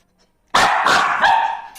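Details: A dog giving a loud, drawn-out yelping bark-like sound lasting over a second, harsh and wavering, after a brief silence.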